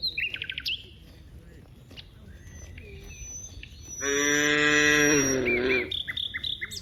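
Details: Herd of dozens of cows in a wide rice field; after several seconds of quick, high bird chirps, one cow lets out a single loud, sustained moo lasting over a second, then bird twittering resumes.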